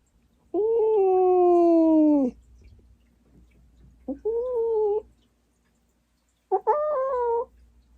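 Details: Large Norwegian Forest cat, formerly a stray, held while its chin acne is treated; three drawn-out, wavering yowls, the first long and falling, the next two shorter, with quiet gaps and faint room noise.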